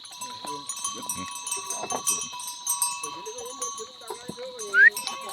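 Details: Himalayan goat in the forest of Uttarakhand, India, giving a drawn-out, slightly wavering bleat in the middle of the stretch, after scattered softer calls, while cowbells chime continuously and a sharp squeak rises near the end.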